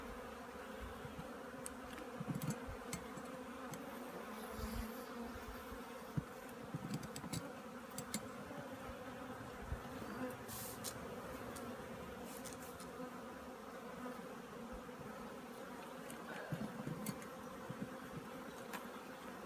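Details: Colony of honey bees getting ready for winter at a Korean apiary; continuous mellow hum of many bees throughout, with scattered light taps and rustling clicks from work around the hive.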